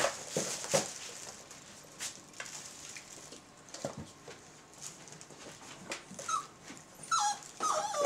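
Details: 28-day-old Belgian Malinois puppies from the Ot Shato Bulgar kennel's B litter make short, high whining whimpers near the end, after several seconds of rustling, shuffling and scattered clicks.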